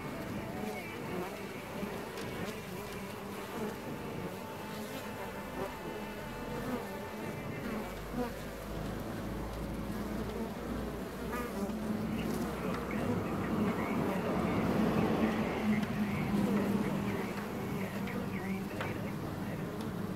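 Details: Honeybees inside Hive 4 on June 15th, a dense, steady colony hum with a low droning layer and stacked overtones, swelling louder around the middle and easing slightly toward the end.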